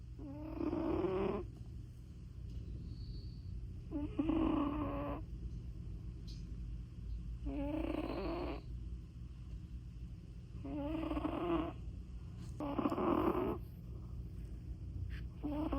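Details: Persian cat snoring in deep sleep: five raspy, breathy snores with a low droning core, one roughly every three seconds, with quiet gaps between them and a steady low hum underneath.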